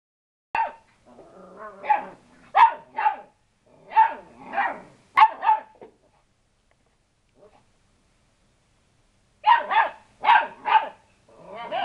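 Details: Lurcher cross puppies barking as they get brave with the household cat: short high yappy barks in bursts of two or three, a pause of about two seconds, then another quick run of barks.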